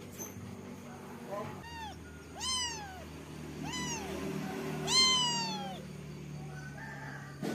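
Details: Kitten meowing four times in quick succession, each meow a short, bright arc that rises then falls. The calls grow louder toward the last one, over a low steady background hum.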